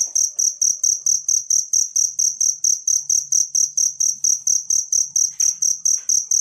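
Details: Cricket from nature, used to train songbirds: sharp, high-pitched chirps repeated in an even beat just over twice per second, with a low hum and faint rustles in the background.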